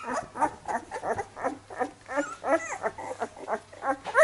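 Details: Labrador Retriever puppies making soft grunting squeaks and short whimpers, repeated in pulses, ending with a louder rising whine, low hum in the background.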